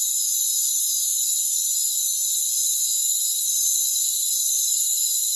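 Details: Continuous chorus of crickets in a rainforest: thin, piercing, overlapping trills held at an even level throughout, with a gently pulsing texture and nothing heard in the low range.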